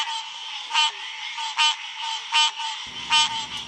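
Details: Male green tree frog mating call, given in the evenings and into the night to attract a female; bright, nasal honks repeated four times at under one-second intervals over a steady ringing drone, low rumble entering near the end.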